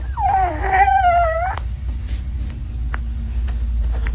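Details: Domestic cat giving one drawn-out meow of over a second, held fairly level before bending upward at the end. A steady low indoor rumble and scattered faint clicks follow.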